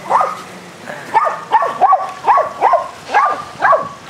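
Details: Dogs Athena, Brando, Rocko and Charlie barking during a rough game of fetch on a spring day: about eight sharp, loud barks in quick succession, spaced roughly half a second apart, with faint background hiss.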